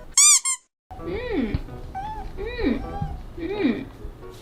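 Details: Newly adopted male kitten on his first day home, chattering away and called talkative; three rising-then-falling meows spaced about a second apart, preceded by a brief loud squeaky musical sound.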